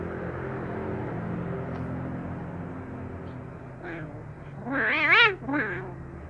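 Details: A brown kitten, happy at being given fish sausage yet wary, lets out a loud wavering meow in two close bursts near the end, following a faint earlier mew over a steady low hum.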